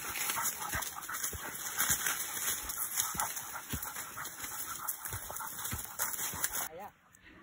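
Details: Hunting dogs on a wild boar hunt outdoors, sharp barks repeated irregularly about twice a second amid heavy rustling and loud insect-like hiss, with people speaking and a brief whistle-like warble at the end.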